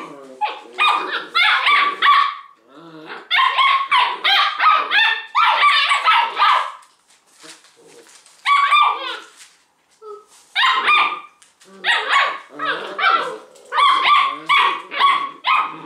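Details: Thirteen six-week-old Leonberger puppies tug at a toy, two or three at a time, the rest cheering; dense clusters of shrill, squeaky barks and yips in several long bursts separated by short quiet gaps.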